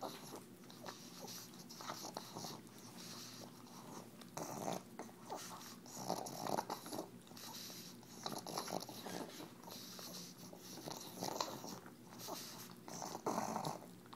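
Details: Wet, messy licking and chewing from Tumble the pug working EZ Cheeze out of her KONG toy, steady smacks with occasional snuffly snorts throughout, recorded indoors.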